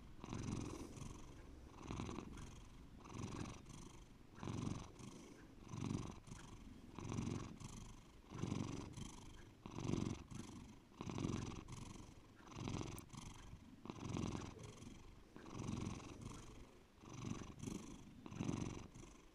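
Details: Deep, continuous purring from the house cat Bear, a low throaty rumble rising and falling in regular waves roughly every 1.4 seconds over about twenty seconds, with a faint click near the middle.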